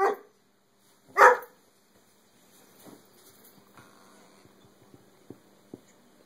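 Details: A dog barks at his whole cow hoof: two loud, short barks in the first second and a half, then faint scuffling, soft clicks and low room noise.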